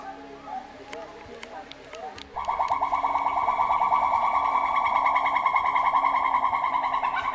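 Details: A pileated (capped) gibbon in a zoo gives a loud, sustained hooting duet call with a fast bubbling trill, after quieter background murmurs.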